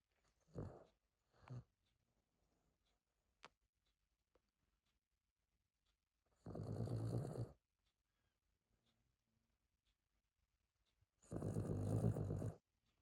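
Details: Longs, a pet dog, snoring indoors loudly enough to wake its owner: two short soft snorts near the start, then two long rasping snores about five seconds apart, with quiet breathing between them.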